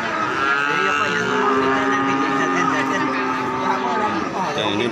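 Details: Cattle calf having a nose rope fitted moos in a long, continuous, drawn-out bellow that keeps a steady pitch, heard over a man talking and steady background noise.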